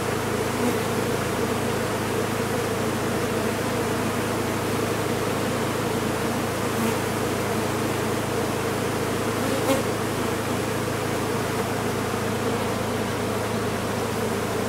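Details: Large honey bee colony lodged inside a sealed-off chimney during its removal, giving a steady, dense, low droning hum that holds without pause throughout, with faint clicks and knocks.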